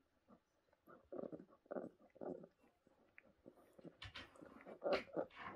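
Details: Tiny rescued brown bear orphans, cubs at the Orphan Bear Rescue Centre in 2023, make rapid, rough whimpering and grumbling pulses that grow louder and harsher toward the end, ending in sharper squeals.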